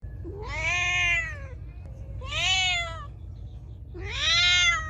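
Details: Feral cat meowing loudly: three long, drawn-out harmonic meows, each rising then falling, spaced about every one and a half seconds over a low steady hum.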